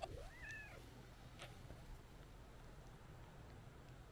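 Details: A white-and-orange stray cat beside a roadside planting walks up meowing to a person to seek affection, later following along on a walk; one short rising-then-falling meow at the start, over a steady low outdoor rumble.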